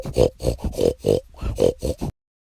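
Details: Pig giving a rapid run of short, rough, nasal grunts, about eight in two seconds, each a low snorting pulse, ending abruptly in silence.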